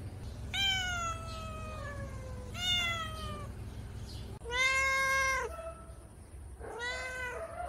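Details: Hungry house cats meowing for food during their morning routine: four long, clear, harmonic meows, each about a second, slightly falling or wavering in pitch, spaced a couple of seconds apart over a low background hum.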